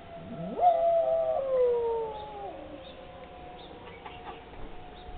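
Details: Dog howling along with a tornado siren test, something it does at no other time: one swooping howl rising steeply from low to a high held note, then sagging gradually downward, with the siren's steady tone continuing behind it.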